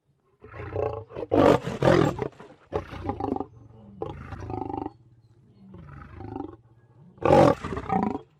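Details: Lion roaring in a sequence: loud, grating roars followed by shorter grunting calls that weaken and space out, then a final strong roar.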